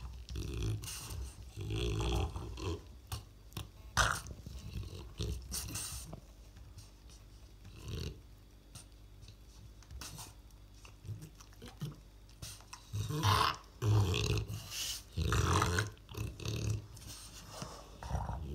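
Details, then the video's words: French Bulldog struggling to take a ball: heavy, low snorts and grunting bursts in irregular clusters, with quieter breathy stretches mid-way and a louder run of rough snorts toward the end; scuffling noises between them. "Французский бульдог - борьба за мяч"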